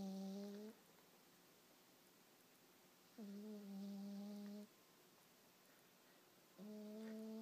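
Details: Hazel, a deeply sleeping cat, snores loudly and does not stir when the blanket is removed from her face; three drawn-out, low, even snores with quiet pauses between, over a steady faint hum.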